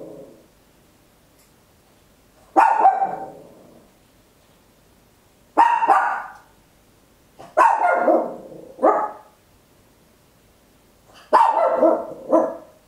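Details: Tiny Papillon barking very loud at home, captured in stereo with an Olympus LS-11: sharp barks arriving singly and in quick doubled pairs every few seconds, each with a bright ringing edge, over a quiet background.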